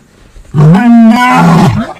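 A lion gives one deep, loud roar that swells, holds steady, then fades.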